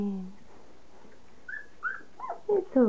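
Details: Three-and-a-half-week-old standard poodle puppies at their first meal of mushy soaked kibble; a short human phrase opens, then high squeaky whimpers rise and fall in quick bursts, getting louder toward the end.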